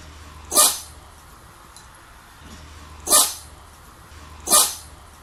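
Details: Female Scottish Fold cat with slightly folded ears, born 29 March 2016, gentle and very quiet-voiced, sneezing three times: short explosive hissing bursts, the first two about two and a half seconds apart and the third soon after, over a faint low hum.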